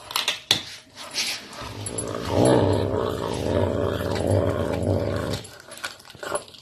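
A caracal gives a deep, rumbling growl that holds steady for several seconds.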